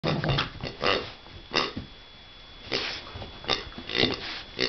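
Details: Pig grunting indoors, a series of short rough broadband grunts in irregular bursts, some spaced about a second apart, with quieter gaps between and a steady faint electrical hum throughout.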